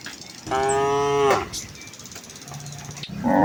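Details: A single drawn-out, richly harmonic moo from a herd of village cows walking to the fields in the morning, followed by a faint low lowing and a louder noise at the end.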